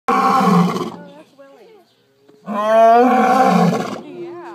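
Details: A captive lion at an animal rescue facility in Eureka Springs, Arkansas, roaring in its sleep: two loud, rough, harmonic bursts, each about a second long, with soft human voices murmuring in the pause between and after.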